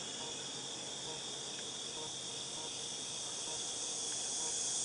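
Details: August 2018 cicadas: a continuous shrill, hissing buzz sits high and constant, swelling slightly louder toward the end.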